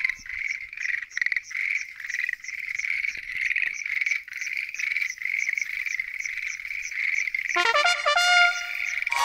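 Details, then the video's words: Many Schlegel's green tree frogs croak together after dark at a lotus pond, throbbing trills pulsing roughly twice a second, then a brassy, tonal honk cuts in over the chorus near the end. "Noisy? Green Tree Frogs Chorus! !"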